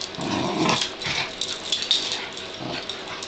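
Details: Pug-dachshund puppies play fighting after being set free from a blanket, excited and playful: breathy, rasping growls and snarls in bursts through the clip, with faint squeaky yips.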